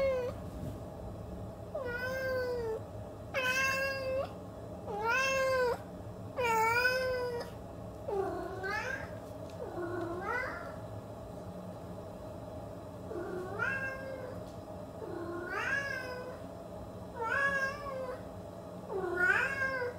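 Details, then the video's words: Domestic cat giving a long series of loud, harmonic meows, each rising then falling, repeated roughly every one to two seconds, over a steady low hum. "Capturing the Expressive Voices of Feline Actors"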